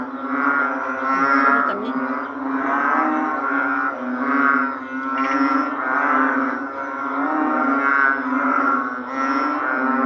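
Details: A dense chorus of narrow-mouthed frogs of many kinds, their deep, moaning calls blending into one continuous buzzing drone that rises and falls in loudness every couple of seconds.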